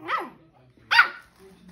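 A two-month-old Shih Tzu puppy lets out its first barks: two brief, high-pitched, squeaky yaps spaced nearly a second apart. Faint background hum fills the gaps between them.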